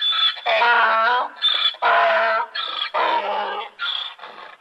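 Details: Donkey braying: loud harmonic hee-haw bursts alternating with thinner, higher wheezy notes, about six phrases in quick succession with short gaps.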